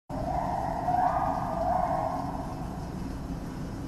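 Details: A male gibbon calling indoors in the Philadelphia Zoo Primate Reserve gives a drawn-out hoot that echoes through the building, swelling and sliding slightly upward over a low rumble.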